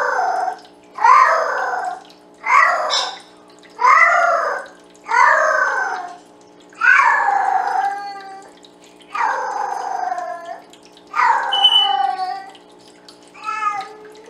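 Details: A female Bengal cat gives a run of drawn-out, wavering meows, one roughly every second and a half, singing to the male cats.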